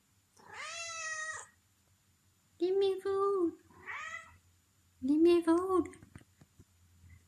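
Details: Zelda the cat, hungry and asking for food indoors: a long drawn-out meow opens, a shorter meow follows a few seconds later, and a person talks to her between the calls.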